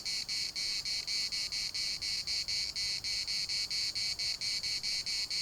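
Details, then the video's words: Cicadas singing in the municipal park of Larnaca, Cyprus: a loud buzzing chorus pulsing steadily, roughly two pulses a second, bright and high-pitched with a strong tone band near the top. "CICADAS at the municipal Park Larnaca"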